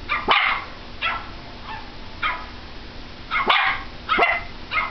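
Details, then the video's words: Pomeranian dog barking at a computer indoors: about seven sharp, high yappy barks, some in quick pairs, spread over five seconds with short gaps, over a low steady hum. "Pomeranian barking at a computer"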